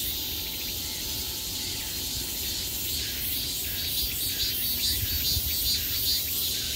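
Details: Cicadas droning all around at the peak of summer; the shrill buzz carries a quick regular pulse and grows a little louder toward the end.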